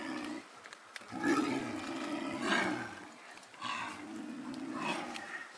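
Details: Male and female snow leopards in a zoo enclosure, quarrelling after mating while the male follows her: rumbling throaty growls in three or four uneven surges, moderately distant.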